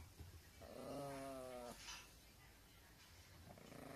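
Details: Teacup Poodle, a pet dog, begging for its toy to be thrown; a single soft, drawn-out tonal whine lasting about a second, steady in pitch with rich overtones, then near silence with faint room noise.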